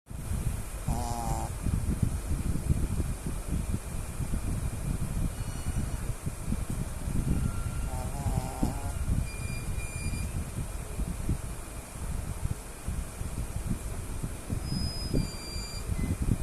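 A Shih Tzu snores steadily, each breath a low, gravelly rumble. A couple of brief higher-pitched tonal sounds break through faintly in the background.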